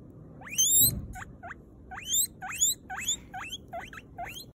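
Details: Guinea pig giving a series of about ten short, sharp squeaks, each a quick upward-sweeping whistle, clustered in bursts with brief pauses, over quiet rustling.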